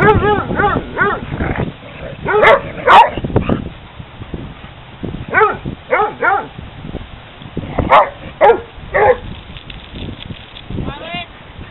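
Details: Hounds playing together at a dog park, barking in short irregular bursts throughout, some yelping and rising in pitch, with quieter gaps between volleys and faint background noise.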